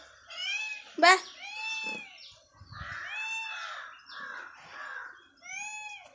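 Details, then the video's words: Morning meows from a hungry house cat: several arched, whining calls of moderate loudness mixed with human speech in a small room and one sharp louder cry near the start. "morning meow meow hungry meow shout"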